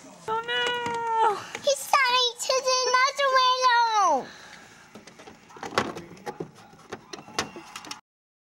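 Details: Kitten coming in through a window, giving a run of long, drawn-out meows with bending pitch that drop off at the ends, followed by quieter rustling and scattered knocks.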